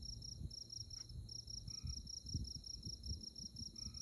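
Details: High, rapidly pulsed insect trill, continuous and even, from the moonlit tallgrass of Konza Prairie, Kansas, at night; soft low rustling and thumps underneath and short faint lower tones now and then.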